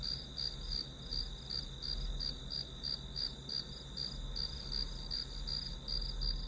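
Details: Unbroken shrill insect chorus in grass: rapid high pulses repeating roughly three times per second at an even level, with a faint low droning hum underneath.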